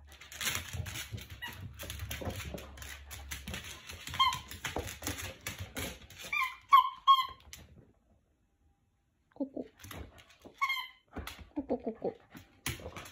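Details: Jack Russell Terrier playing indoors with a person, giving bursts of short, high, squeaky notes, then a few lower, wavering whines after a brief pause, with a person talking in a small room.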